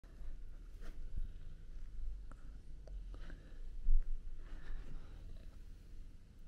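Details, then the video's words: Domestic cats snuggling together indoors, among them Prince, a male British Shorthair kitten, and male shorthairs Tom and Mimi; a soft, continuous low rumbling purr with faint rustles and small clicks over it. "Cute Cats Snuggle & Purr"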